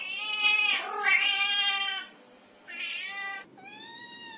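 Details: Black kitten giving three bright, high, harmonic-rich meows: a long drawn-out first call, a shorter second, and a clear final mew that rises slightly, with short pauses between.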